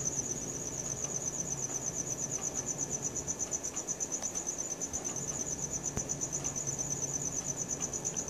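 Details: Night-time cricket chorus captured with a Samsung Galaxy S4, a shrill rapid trill pulsing evenly about three times a second throughout, over a low hum of background noise.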